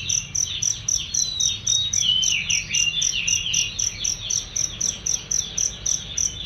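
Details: High, clear cricket chirps for training songbirds, repeating steadily about four times a second, accompanied by chattering bird calls and long sliding whistles.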